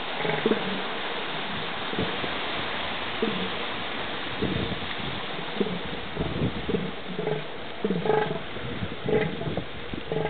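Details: Two male Northern elephant seals squaring off in a brief battle on the beach at Año Nuevo State Reserve, California; harsh, low, pulsed guttural roars and grunts repeat throughout over steady surf-like background noise.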